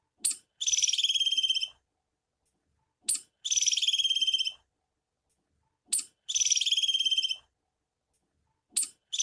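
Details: A female squirrel gives a sharp chip followed by a high, buzzy trill, repeated about every three seconds; the call is said to be a mating call.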